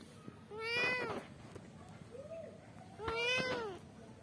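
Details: Kittens meowing for their mother. Two loud, arched meows about two and a half seconds apart, with a fainter, shorter mew between them. The background is quiet indoors.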